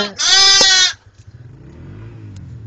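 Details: Baby goats bleating: one loud, harmonic, slightly wavering bleat lasting under a second, then quiet with faint low rumble.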